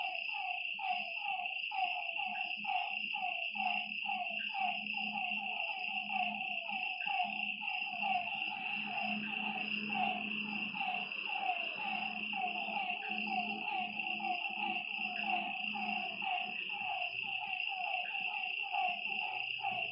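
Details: Many frogs calling at night near a lake, their short, knocking notes repeating over and over in a steady chorus, with a low pulsing drone and a high continuous insect buzz behind.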